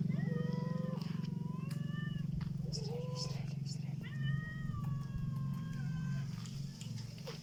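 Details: Black cat making a strange sound: drawn-out, slightly wavering meow-like calls in two bouts, over a steady low droning rumble throughout.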